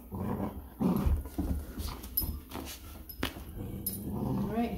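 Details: Giant Schnauzer mother and pups playing tug with a baby shark toy in a room: deep, rough growling in uneven bursts, mixed with scuffling, a sharp click and a person's quiet voice.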